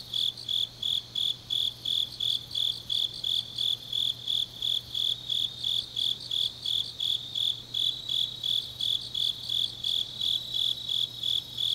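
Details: High, evenly spaced chirps of grass insects on an autumn night in Changnyeong, Korea, about three pulses each second, over a faint continuous insect hum.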